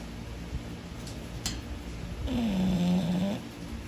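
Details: A sleeping English Bulldog snores with a low, drawn-out rasp carrying a faint whining tone.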